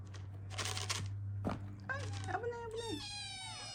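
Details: Ragdoll kitten from Elsa's first litter begs for food indoors. After a human voice and a steady low hum, a short wavering meow is followed by a higher, harmonic-rich one.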